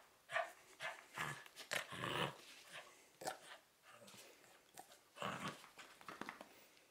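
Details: Cavalier King Charles Spaniel tussling for its beloved teddy bear during a 2013 training session, giving short rough growls and grunts in quick irregular bursts, some sharp and clipped, separated by brief pauses.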